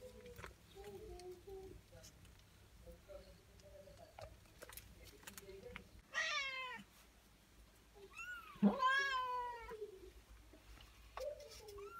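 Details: Persian cat with four newborn kittens indoors; two clear meows, the first short and falling, the second longer, rising then sliding down, over a quiet background of soft murmuring sounds and faint clicks.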